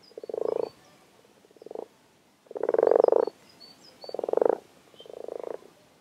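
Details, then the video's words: Frogs that have arrived in numbers at WWT Castle Espie give rough, rattling croaks in five bursts over six seconds, each about half a second long. Faint high bird notes sound behind them. "Frog Chorus"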